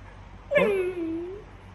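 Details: Female Siberian Husky, reacting to going outside, gives a single drawn-out whine: a sharp onset that slides downward, then holds a lower, steady tone for about a second before fading, over quiet indoor background.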